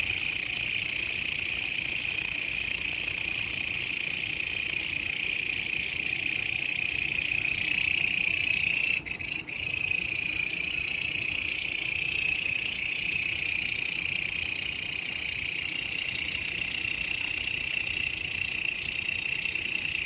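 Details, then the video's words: Grasshopper trilling, meant as a master sound for training songbirds: a loud, sustained high buzz with rapid pulsing. It dips briefly near the middle with a soft knock, then continues steadily. "SUARA BELALANG,MASTERAN BURUNG YANG SERING DI CARI-CARI OLEH KICAU MANIA"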